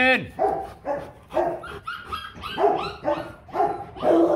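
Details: Rottweiler giving a run of harmonic, downward-sliding barks or yelps, about two per second, steady over four seconds, with some human voice mixed in.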